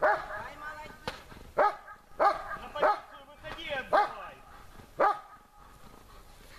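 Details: German Shepherd Besser in protection work, barking at the helper under complicated conditions; about seven sharp barks at uneven intervals, some doubled, followed by a brief lull near the end.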